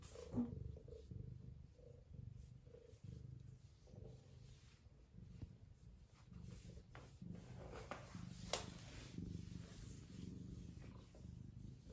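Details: Affectionate Ragamuffin cat purring: a soft, continuous low rumble that swells and fades in gentle pulses, with faint clicks and small household noises in the background.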